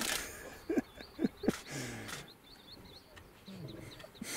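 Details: Lion cubs in Olare Motorogi Conservancy, Masai Mara, Kenya, February 2019, recorded with a Panasonic VX-1: three short, sharp rising mews in quick succession, then a lower drawn-out moan, while high chirping birds call steadily in the background.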